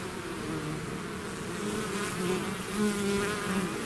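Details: Bees swarming from their hive give a close, loud buzz, single insects sliding up and down in pitch over the massed drone of the swarm.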